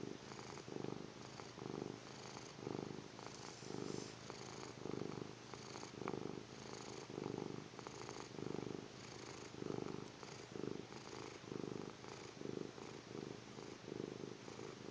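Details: Sleeping kitten snoring: soft, low, breathy rumbles that pulse in steady bursts, roughly two per second, in a quiet indoor room with no other clear sounds.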